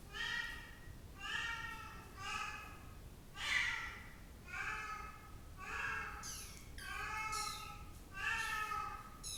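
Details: Bengal kittens, brown and blue, at a breeder's home: a run of high, harmonic meows, about one every second, some overlapping, steady and slightly falling, with quiet room background.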